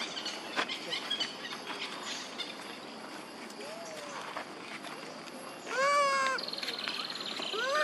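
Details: Calls from monkey mothers Duchess and Queen, crying out for their baby Quinton: a faint arched cry midway, then a loud, strongly harmonic rising-and-falling wail, and another starting at the close, over busy natural background noise.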